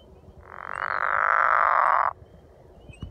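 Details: At Hollins University, a pickerel frog gives a single rasping, snore-like call lasting under two seconds.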